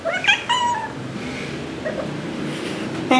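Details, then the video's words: A young tabby tomcat, chatty, talking indoors in January 2023: two quick meows at the start, then quiet room noise, a faint call midway and a short meow at the end. "Chatty Cat 'Mr.Tiger' Is Super Chatty Today!"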